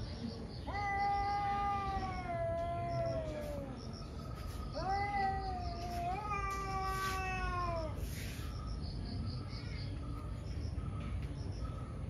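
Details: Morning fight between two fierce cats: loud, nasal caterwauls held for several seconds, bending slightly downward, a second rising-then-falling wail following after a pause, with persistent insect chirping and a faint hum behind.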